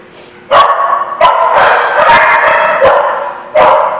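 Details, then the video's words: Dog barking in a yard in late April: loud sharp barks repeated roughly every second, some run together, with a person's speech faintly behind. "The Barking Lot"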